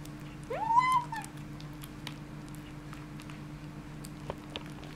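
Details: Kitten with a bone gives one rising then falling harmonic wail of about a second, loud at first and trailing off, followed by faint clicks and small knocks in a quiet indoor room with a steady low hum.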